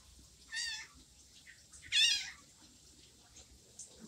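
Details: Orange kitten left behind by its mother, giving two high, thin meows: a shorter one, then a louder, rising-falling cry about a second and a half later, with quiet room noise between.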